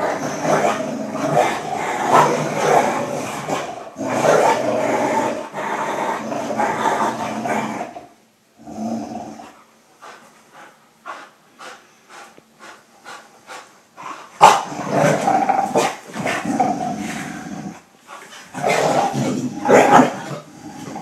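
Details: Pit Bull and German Short-haired Pointer in a playful tug of war: long rumbling growls for about eight seconds, a quieter stretch of short clicks and taps, then growling resumes in bursts.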